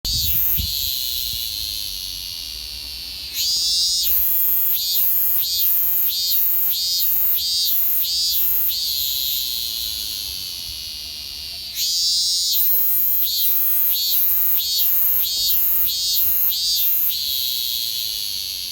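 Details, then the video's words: Robust cicada (minmin cicada) singing while perched on a kousa dogwood in summer: a steady high shrill drone breaks into two bouts of rapid pulsed phrases, each bout with about eight loud repeated throbs before fading back to the drone. "鳴いているミンミン蝉 ミンミンゼミの鳴き声 robust cicada"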